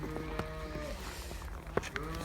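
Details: Girlendo cow on a farm in Pakistan, offered for sale; a low, steady harmonic lowing runs through the clip under a man's voice, with a few sharp knocks near the end.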